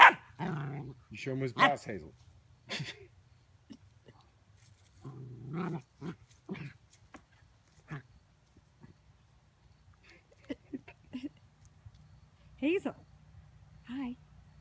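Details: Dog barking at a dustpan indoors, a cluster of sharp rough barks at the start, then scattered growly woofs and softer short yips spaced out over the following seconds, with a faint steady hum beneath.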